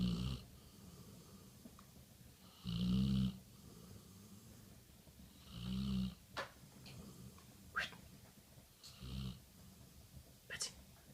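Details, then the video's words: Snoring from Betty Bradley, a chocolate Labrador Retriever fast asleep: three low rasping snores, the first two loud and the last softer, with a few faint sharp clicks in the quieter stretches. "Snoring Betty Bradley the Chocolate Labrador"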